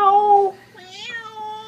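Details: Pet cat vocalising: a bright, sustained meow followed by a fainter, long-held second meow that rises a little midway and then stays flat, heard against near silence.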